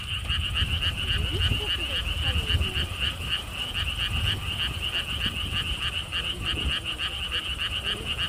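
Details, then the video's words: Frogs at a lotus theme park by a stone wall path in Siheung, South Korea, near the historic Gwangokji lotus pond. A dense chorus of rapid, evenly pulsed croaks, roughly four per second, over low rumbling wind and a faint voice. "개구리 소리"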